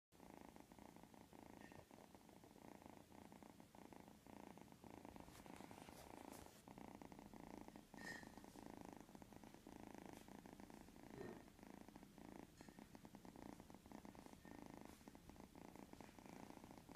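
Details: Three-month-old cat purring steadily while asleep indoors, a soft, low continuous rumble with fine rapid pulsing that holds evenly for the whole stretch, quiet and close.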